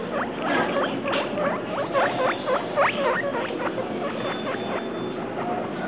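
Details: Travis and Shane, two pet guinea pigs described as two weeks and three days, give rapid squeaky chirps, about three to four a second, each a short upward or downward sweep over a steady background hiss.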